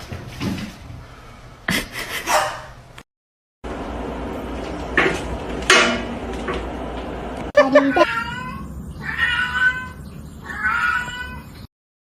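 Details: Domestic cat giving three clear, drawn-out harmonic meows near the end, each wavering in pitch, after several seconds of household noise, brief human voices and scattered clatter.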